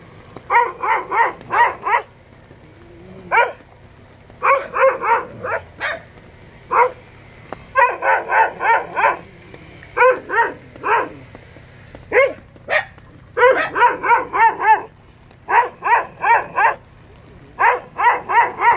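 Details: Yellow Jindo dog in old Jindo style barking in quick bursts of three to six sharp, mid-pitched barks, separated by short pauses, steady throughout with a faint low background hum.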